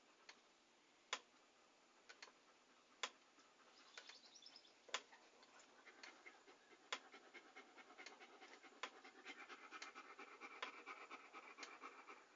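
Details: A dog breathes hard in quick panting puffs for relaxing ASMR. The panting grows fuller and more continuous in the second half, punctuated by loud sharp clicks.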